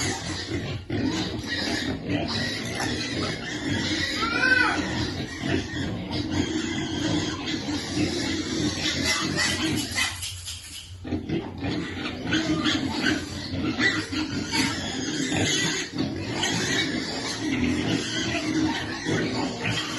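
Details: Piglets waiting for food grunt continuously; one clear high squeal rises and falls near the start, and the noise briefly drops away partway through before the grunting resumes.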